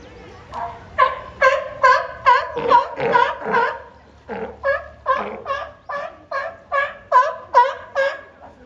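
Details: Pair of captive California sea lions, Higashiyama Zoo and Botanical Gardens main garden, April 2024, trading calls as though competing: a steady run of about eighteen hoarse, nasal barks at a brisk, even rhythm with a brief lull near the middle.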